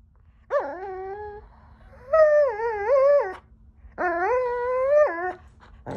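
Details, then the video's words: Giant Schnauzer mix dog being bratty on its owner's pillow, producing three drawn-out, wavering whining howls of one to one and a half seconds each, indoors. "Giant Schnauzer mutt, being a brat"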